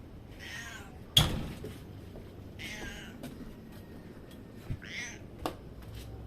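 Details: Pet cat making noises for treats: three short, high, trilling chirp-meows about two seconds apart, with sharp clicks and knocks between them in a quiet room.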